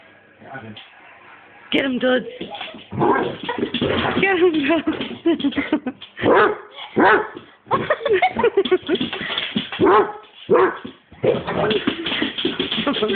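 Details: Dudley, a Basset Hound running around wearing high heels, gives deep, drawn-out barks and yowls in bursts, with people talking and laughing.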